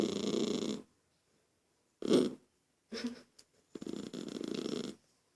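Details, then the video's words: Lucky the toy poodle, irritated by a child making noise, produces a harsh growl, then a loud snort, a short huff and a final broken, pulsing growl of about a second. "Poodle irritado com a criança fazendo. Barulho"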